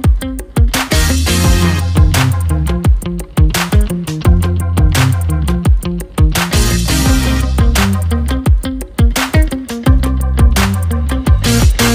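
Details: Upbeat music with a steady pounding beat, deep bass notes and bright percussive hits runs throughout, with no animal voice present.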